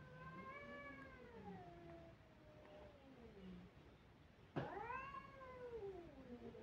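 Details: Kittens crying with a long, wavering meow that slowly falls in pitch, then an abrupt, louder cry that sweeps down, over a faint room hiss.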